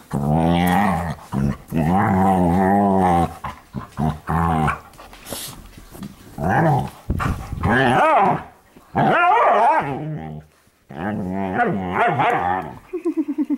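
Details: Dogs romping together indoors at night in a living room play session, producing loud sustained rolling growls in long bouts, interspersed with sharp barks and yelping snarls, ending in a quick series of short huffs.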